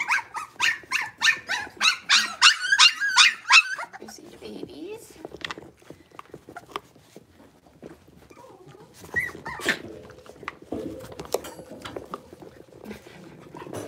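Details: A quick string of sharp, high yelps from six-week-old blenheim Cavalier King Charles Spaniel puppies opens the recording, followed by rustling, shuffling and scattered faint cries inside the puppy pen.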